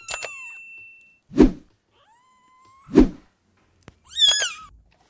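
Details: Cat giving a short, high, harmonic call near the end that falls in pitch, after several dull thumps and two broad bursts of noise.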